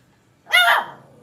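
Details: Puppy venting its anger indoors in a small room: a single sharp, bright bark with a rich stack of harmonics, rising quickly and then trailing off.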